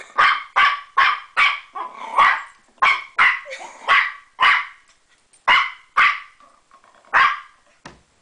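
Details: A puppy playing with a door stopper fires off a fast string of shrill yappy barks that slows toward the end into single spaced yelps.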